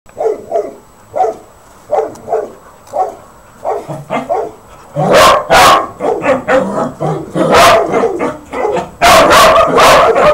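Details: Four puppies barking in short, sharp yaps, first spaced singly about every second, then bursting into louder, denser overlapping barks with rapid yips in the second half.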